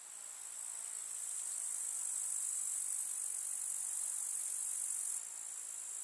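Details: Village meadow in summer with grasshoppers chirring: a very high, sizzling continuous trill that builds slightly in strength, then drops a little near the end, calm open-country quiet underneath.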